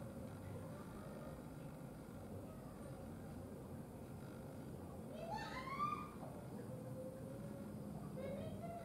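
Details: A cat greeting with a single short meow partway through, a harmonic call that rises and then falls, heard over a steady low rumble with a few faint high chirps in the background.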